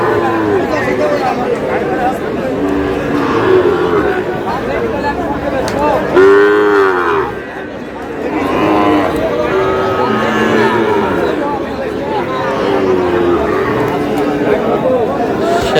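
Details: ['Sahiwal bull at a cattle market in Madaripur, Bangladesh, in May, giving a loud harmonic moo of about a second and a half midway through, set against constant crowd chatter and speech from buyers and sellers.']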